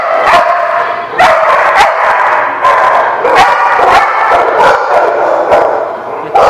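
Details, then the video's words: Multiple dogs at a kennel lot bark continuously, short sharp yaps and barks overlapping from several animals, loud and steady throughout with a chaotic, echoing chorus. "The Barking Lot"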